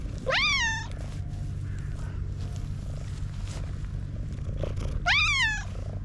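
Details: Content black domestic cat purring excessively while mewing like a little kitten: a steady low rumbling purr runs throughout, broken by two loud rising-then-falling meows, one near the start and one about five seconds later.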